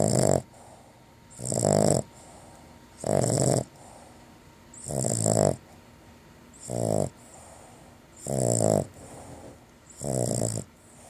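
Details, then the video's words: Domestic dog asleep after finishing a bacon-flavoured long-lasting chew, giving seven loud, rasping snores at a steady pace of about one every one and a half seconds, each with a buzzy wheezing edge, quiet room between. "Snoring Away"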